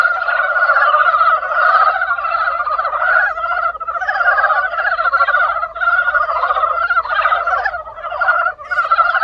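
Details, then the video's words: Many frogs croaking together in spring: a dense, unbroken chorus of rapid, rattling pulsed croaks that overlap continuously, swelling and easing every second or two with brief dips, and no other clear sounds. "개구리소리 the sound of frog broke spring"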